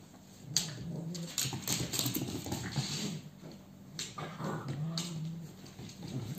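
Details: Cavalier King Charles Spaniel called Ethan, indoors while young dogs romp. Low rumbling growls with thin squeaky whimpers come in irregular bursts over a steady electrical hum, with scuffling clicks throughout.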